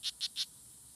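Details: Three crisp, buzzy high chirps in quick succession from strawberry poison dart frogs (Oophaga pumilio) fighting at La Selva Biological Station, Sarapiquí, Costa Rica, June 24, 2016, with a faint high hiss behind.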